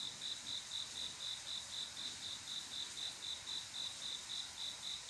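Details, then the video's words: A male cricket calling a female to mate on a quiet summer night: clear, high, evenly pulsed chirps repeated about four times a second, steady and unbroken over a soft hiss of distant insects. "조용한여름밤 귀뚜라미소리"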